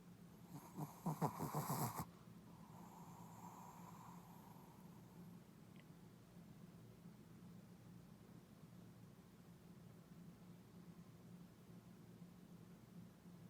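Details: Snoring puppy: a loud, rough, pulsing snore lasting about a second and a half, then a softer, breathy exhale, followed by quiet room hum.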